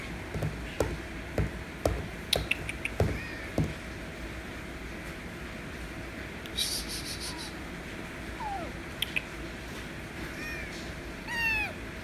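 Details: White kitten meowing loudly to demand affection indoors; several short falling meows come late, the last one stronger and harmonic-rich, after earlier scattered knocks and clicks under a steady low hum.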